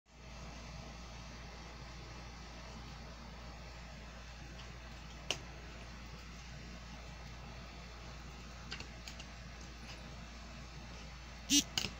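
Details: Steady mechanical fan hum fills a small indoor room, with faint typing-like clicks and a few brief knocks near the end.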